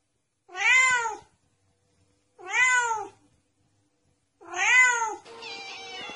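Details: A domestic cat gives three strong, clear meows, each rising then falling and spaced about two seconds apart, offered as a mouse-chasing sound; a burst of broadband noise follows the last meow.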